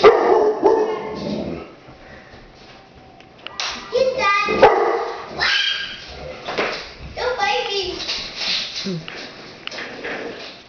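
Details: Dog reacting to a deer head hanging on the wall, giving scattered barks and yips among human voices; after a quieter opening, sharp bursts come irregularly, with some higher, wavering, whine-like tones between them.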